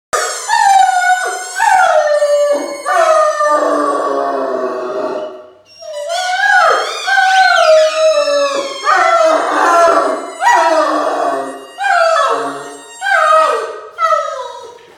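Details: A male Great Dane squeaks a mouse ball toy to set himself off, then howls in long, wavering, sliding tones, breaking into repeated mournful phrases.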